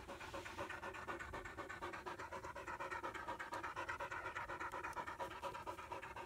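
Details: ['Panting from German Shepherd puppies, a little female and her half-brother Psycho, playing together for the first time in Florida, 2016; steady rhythmic huffs, roughly two per second, breathy and clear.']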